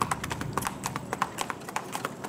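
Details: Bay Tennessee Walking Horse carrying a young rider on an East Texas trail ride near Marshall, Texas: quick, crisp clip-clop hoofbeats in an uneven four-beat rhythm, about eight strikes per second, on hard ground.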